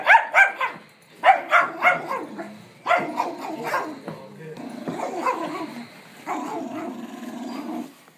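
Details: Male rescue puppy attacking a pillow he hates, with family nearby; a run of sharp growling barks in quick clusters over the first three seconds, then long rumbling growls, a woman's voice faintly heard.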